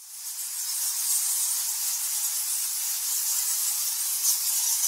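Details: Thousands of nectar bats massed in a cave at Goa Lawah, Bali, Indonesia, their squeaks and squawks merging into a dense, hissing high-pitched wash with faint rapid flickers and no gaps.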